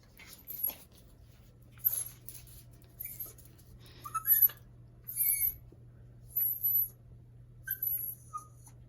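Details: Ziggy, a merle Chihuahua puppy, sneezing with excitement because he loves cheese; seven short, hissy, high-pitched bursts come roughly every second, with faint brief squeaks between them and a low steady hum underneath.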